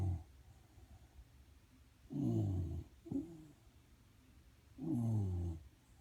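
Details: A Shiba Inu sleeping under a desk, snoring: three low, throaty, rasping snores with a falling pitch, two long and one short, about two to three seconds apart, in a quiet indoor room.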